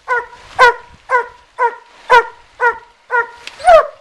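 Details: Coonhounds treeing a raccoon in a den tree beside a river in Taylor County, Kentucky bark in a steady rhythm, about eight resonant, ringing barks in four seconds, roughly two per second, the last one rising into a drawn-out bawl.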